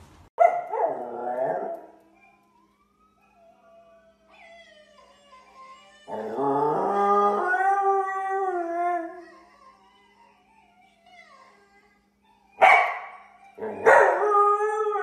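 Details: Howling dogs give a short yelping burst, then a long, smooth, layered howl that wavers and slowly fades. Closing yips and cries are mixed with faint music.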